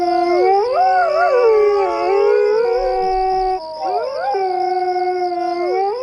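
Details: Several coyotes howl together, overlapping voices that waver, rise and fall, with sliding notes and brief breaks in a dense, continuous chorus.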